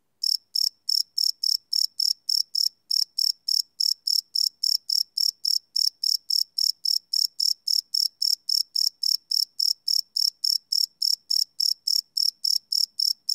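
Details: Cricket chirps at night from a live Sony PCM D100 recording: unbroken, metronome-like train of high, piercing pulses, about 214 a minute, over a still, otherwise silent background.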